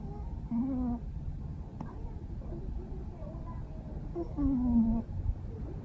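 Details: Charles, a male Norwegian Forest Cat, asleep, snoring and grinding his teeth: two soft, nasal whistled tones with faint harmonics, each about half a second long, rising out of a low, rumbling breathy noise.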